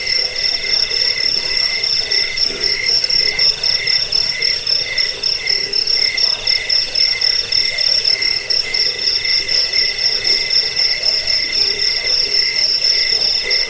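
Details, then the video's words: Cricket sound used against rats, as a bedtime sound and for teaching birds; rapid, regular shrill chirps repeat in quick pulses, steady loudness, with a lower trilling layer underneath the whole time. "Suara jangkik pengusir tikus pengantar tidur"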